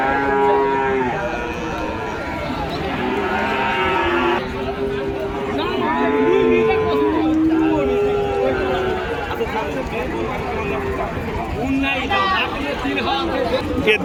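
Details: Bull calves at a cattle market in Joypurhat, Bangladesh, giving repeated deep, drawn-out moos, several overlapping and rising then falling, amid steady crowd chatter and market noise.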